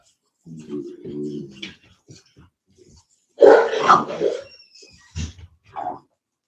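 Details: Cane Corso, or Italian Mastiff, kept by a Tennessee breeder: a low, wavering, tonal whine-growl opens, then a loud, rough bark burst with a couple of shorter barks after, with soft indoor sounds in between.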